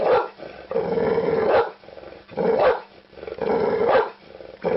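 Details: Dog barking, several rough harmonic barks and growly drawn-out calls in uneven bursts, heavy low-mid tone, with short gaps between loud runs; compressed, band-limited sound.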